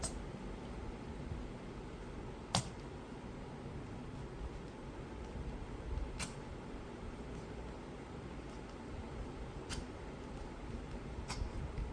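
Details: Low indoor room hum with a few sharp clicks and no animal sounds.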